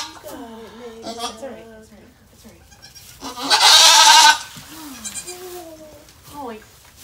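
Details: Around the birth of four kids, rescued goat Maybel at Goats of Anarchy gives one loud, strained, quavering bleat, about a second long. Softer, higher calls and human voices come before and after.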